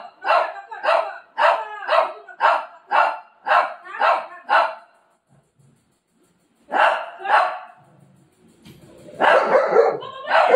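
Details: Pet golden retriever barking while pestering its mummy at home: a quick run of about nine sharp, even barks in five seconds, a brief silence, two more barks, then a loud muffled scuffle.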